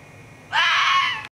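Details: Vixen scream of a fox heard at night in a forest on 27 May, in the mating season: a single harsh, hoarse screech lasting about three-quarters of a second, flat and strained, cutting off abruptly against a quiet background hum.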